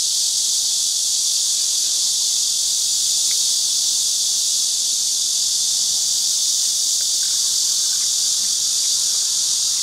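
A steady, high, hissing drone of cicadas that fills the air without a break.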